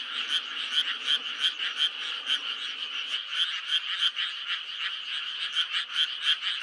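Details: Frogs croaking in May, rhythmic raspy pulses repeating about three a second, with a faint low rumble under the chorus during the first half.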